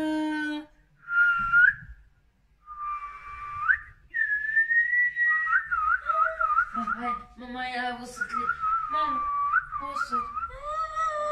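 A Siamese cat gives long, drawn-out, wavering meows with a high, almost whistled tone.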